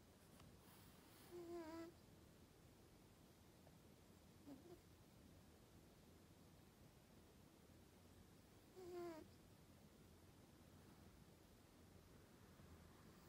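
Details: A sleeping Norwegian Forest Cat snores: two short, squeaky, tonal snore sounds with a whistly overtone, about seven seconds apart, plus a fainter one between, over a quiet, steady background hiss.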